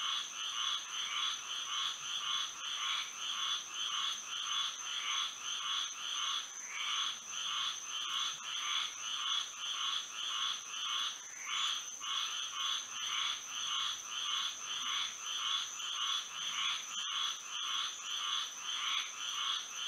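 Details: Moonlit night in Florida with frogs in full chorus, rapid repeated croaks near two per second keeping a fairly steady beat for twenty seconds, layered callers, and an unbroken shrill tone above.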